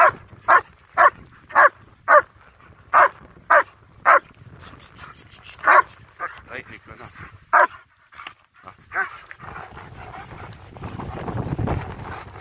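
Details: German Shepherds out on a winter wander near Hawick, Scotland: a quick run of evenly spaced loud barks for four seconds, then scattered softer barks, ending in rumbling wind or handling noise.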